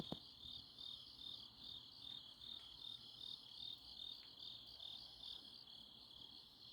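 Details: Autumn-night grass insects in Chuncheon, Korea, calling together: continuous high-pitched pulsing trills layered over a thin buzz, with a brief click at the start.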